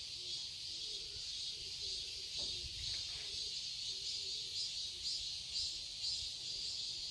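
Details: Summer cicada chorus in a Seoul garden, Korea: a steady high-pitched drone pulsing roughly twice per second, with faint lower chirps and a brief soft thump midway.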